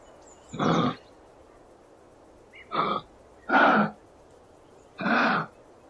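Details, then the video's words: Kangaroo from the Australian wild producing four coarse, hissing-grunt bursts at uneven intervals, one then a pause of two seconds, then three close together. A faint high bird note sounds at the start. "Gerçek Kanguru Sesleri"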